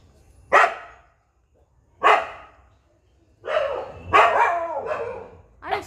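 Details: Puppy barking: short, sharp barks spaced about a second and a half apart, then a burst of rougher, longer barks, while a person talks to it in Bengali between them.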